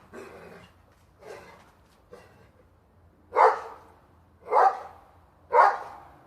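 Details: Dog standing on its hind legs barking at a squirrel in a plum tree; six sharp barks, the first three softer, the last three loud and evenly spaced about a second apart.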